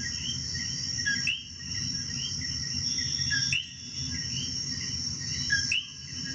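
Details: In Puerto Rico, common coqui frogs call their two-note 'co-qui', a short note then a rising whistle, over steady insect trilling.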